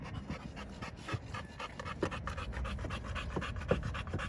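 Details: Pocket American Bully from a Romanian kennel breathing in quick, regular pants, soft huffs several times a second, heard up close in a quiet room.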